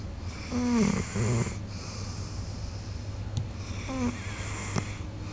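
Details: A big golden retriever, soundly asleep, snores in deep, rattling breaths with a soft wheezing whistle on the inhale.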